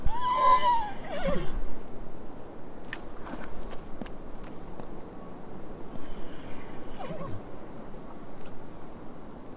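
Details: Horse. A horse opens with a short, tremulous whinny, high and tonal before sliding down into a breathy finish. The remaining seconds hold soft knocks and rustling against a low background rumble.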